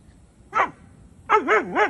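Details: Doberman Pinscher puppy wanting to play with a mini donkey: one short yelping bark, a pause, then three quick wavering barks that rise and fall in pitch, with a quiet background.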